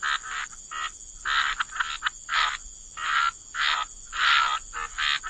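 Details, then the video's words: Waterside frogs give short rasping croaks in separate bursts about every half second, each a harsh broadband pulse with gaps of quiet between, over a constant high-pitched hiss. "Frog Lullaby: Relax to the Sound of Croaking Frogs"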